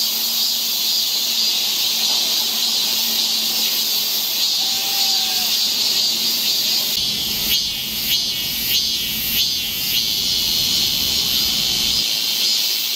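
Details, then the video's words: Cicadas singing along a summer forest trail in Seoul, Korea: a dense, steady high buzz, with pulsing bursts toward the end, while a faint short whistle rises briefly mid-way and a low hum runs underneath. "Song of the Seasons, A nice forest trail in the Korean summer. Seoul. cicada sound."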